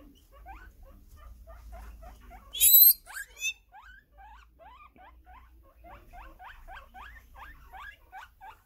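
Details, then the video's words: Guinea pig wheeking: soft, evenly spaced rising squeaks broken by one piercing, very high whistled wheek and a couple of sharp follow-ups, then steady upward chirps resume in a quiet room. "Guinea pig wheeking"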